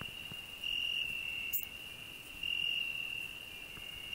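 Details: Cricket on a rose bush with a grasshopper nearby, giving a sustained high-pitched trill that swells in two louder bursts, one sharp click in between.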